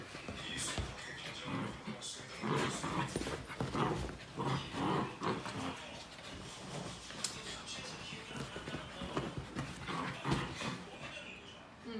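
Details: Nine-month-old Pomeranian Keeshond playing with a two-month-old Husky pup. Rough, broadband growling bursts and scuffles come irregularly throughout, while people talk nearby in Filipino and English.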